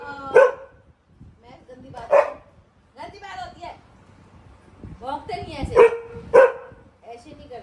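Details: Pet Labrador Max barks at home in Delhi, reacting to the scent of a dog in the street below. Single loud barks land a couple of seconds apart, with a final close pair, while a woman talks and scolds him.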